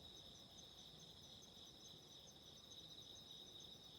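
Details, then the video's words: Faint, distant chorus of autumn insects, high thin ringing tones held steady beneath a soft crackle and low rumbling noise like a candle flame. "Relaxing Candle Fire and Insects burping 癒やしのキャンドルの炎と虫の鳴き声"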